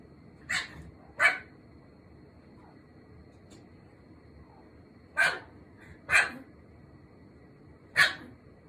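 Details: Cream Pomeranian, a pet dog that rarely barks, barking toward the bathroom at home: five sharp, high yapping barks, the first two about a second apart, then three more spaced roughly a second apart after a quiet gap, over a faint steady hum.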